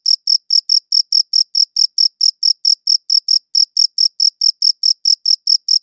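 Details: High, crisp cricket chirps recorded with a good audio recorder, about four per second with small irregular pauses between some pulses. Nothing else is audible.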